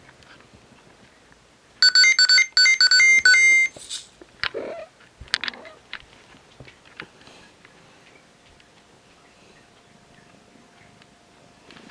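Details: A bright electronic jingle rings out in a burst of repeated beeping tones, followed by scattered knocks and rustles indoors and a faint steady hum, with no meow or other animal voice.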